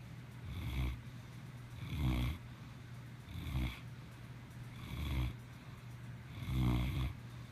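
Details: Maximus, a cat, snoring steadily: five deep, rasping low snores, one about every one and a half seconds, each swelling and fading, over a constant low electrical hum.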